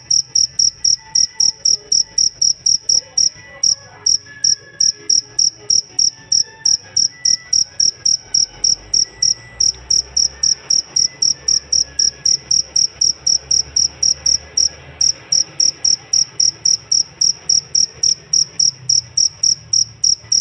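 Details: Continuous bright, shrill pulses from a cricket kept as a master voice for songbirds, about four chirps a second over twenty seconds, with faint distant twittering and low murmur underneath.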